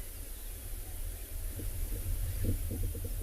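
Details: Low rumbling background noise, like wind or a distant engine, with a few soft thumps; no animal voice stands out.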